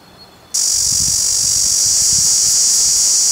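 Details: Cicada in India: a loud, steady, high-pitched buzz switches on abruptly after half a second and holds unbroken to the end, with a faint pulsing shimmer and a few soft low thumps underneath.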